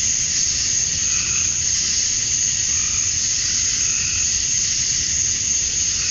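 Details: A high, sizzling cicada chorus at summer dusk in Georgia, USA, made by males calling to attract females. The buzz stays even and constant, with occasional quieter rising warbles underneath.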